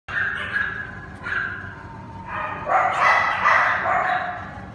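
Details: Cane Corso puppies from one litter: high whining yelps, some drawn out and some short, growing louder and overlapping toward the end.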